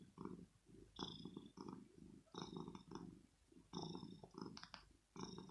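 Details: A male kitten purrs at dawn, seeking cuddles, stroking and possibly breakfast after waking his owner; deep pulsing rumble in close, regular bursts, with light scratchy rustles on top.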